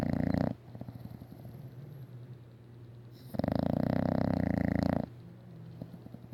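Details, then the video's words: Isabelle, a pet English Bulldog, snores loudly enough that earplugs are needed at bedtime: long, rough, rattling inhaled snores about four seconds apart, with a quieter, lower buzzing breath between them. "Funny English Bulldog Snoring"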